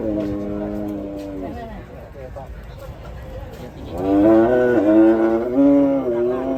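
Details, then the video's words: Raging cattle mooing loudly: a steady harmonic low first, then a louder, pulsing bellow with rising and falling pitch steps, over faint background voices. "SAPI NGAMUK"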